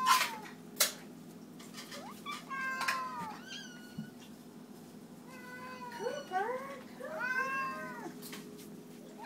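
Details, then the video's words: House cats at feeding time giving a burst of meows, arched harmonic calls that cluster and overlap toward the end, several cats at once, over a constant low hum and a few sharp knocks. "The Cats Meow"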